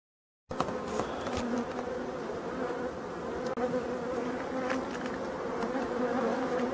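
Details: European dark bees buzzing at a Voirnot hive during preparation for winter, from hives abandoned in a forest, 30 October 2021; a steady droning hum with a low pitched band and a brighter overtone, after a brief silent start.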